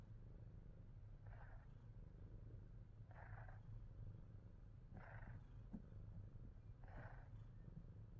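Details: Himalayan Persian pet cat purring: a steady low rumbling drone throughout, with a brief brighter breathy swell roughly every two seconds as the cycle repeats.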